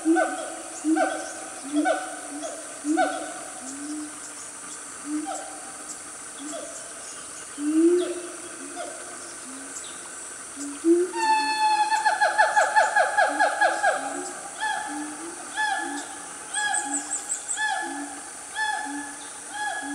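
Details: Loud family of wild siamangs in the Gunung Nuang forest, Selangor, Malaysia, calling around 10 am on a cool morning; hooting notes repeat, then a rapid rising series of loud barking whoops builds midway, over steady insect drone.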